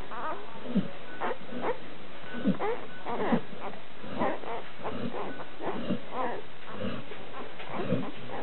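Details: Labrador Retriever puppies one week old, a litter of nine males and three females at a breeding kennel; irregular short whines and squeaks, some rising in pitch, about one every two to three seconds amid muffled rumble.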